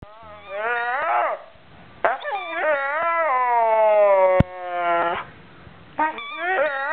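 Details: Pet dog "talking" very loudly to her squeaky ball indoors: long, wavering, whiny vocal notes rising and falling in pitch, in several drawn-out bursts with short pauses between them.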